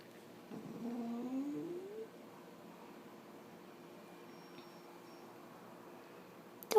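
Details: Bailey, a female puggle, at home just after her spay surgery, making funny noises: a wavering, whining moan with rising and falling pitch lasting about a second and a half, then quiet room tone, a sharp click at the end.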